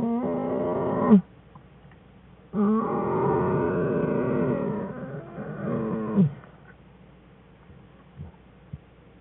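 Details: In the den, cubs Fern and Herbie whine near mother bear Jewel, January 2013; a one-second whine, then a longer, steady, buzzy wail of about four seconds ending in a rising squeak, then faint shuffling.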